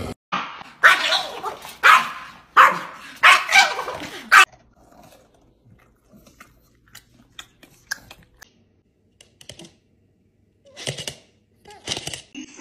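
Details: Dog from a funny compilation barking loudly and harshly, about six barks in quick succession roughly every two-thirds of a second, then faint clicks and two short noisy bursts near the end.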